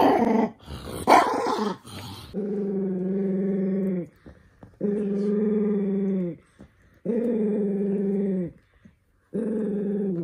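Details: {'caption': 'Sock-fitting provokes toy poodle Minato into steady, drawn-out growls lasting one to two seconds each, repeated four times with silent breaths between, after an opening burst of rustling and handling noise.'}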